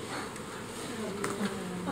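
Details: Honey bees swarming at Provaglio Val Sabbia, Italy, on 25 June 2016: a dense, steady droning hum from many bees, with faint voices of people nearby.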